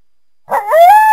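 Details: Coyote starting a howl with a short rough note that slides upward into a clear, rising, sustained tone.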